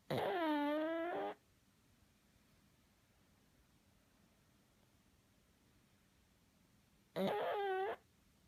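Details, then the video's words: Sleeping pug snoring in a small quiet room: two wavering, honking, nasal snores, the first over a second long and the second shorter, about seven seconds apart with silence between them. "Pug snores"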